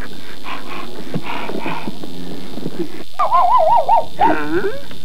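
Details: Alaskan Malamute giving a wavering, harmonic whine that rises and falls in quick undulations for about a second and a half, followed by a shorter bent whine, after softer scattered murmurs and background noise.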